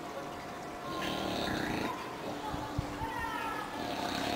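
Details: An English bulldog snoring while asleep: rough, breathy, noisy rasps, one long stretch lasting about a second and another starting near the end, with people talking over it throughout.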